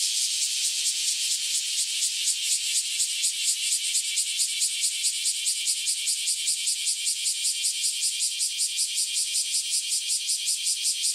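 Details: Newly emerged cicadas chorusing before taking flight, a loud high rasping buzz pulsing in regular throbs roughly four or five per second, steady throughout.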